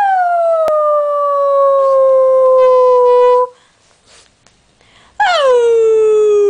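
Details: Howling dog: a sustained tone easing downward for about three seconds, a quiet gap with faint sounds, then a fresh howl that begins high and sweeps down.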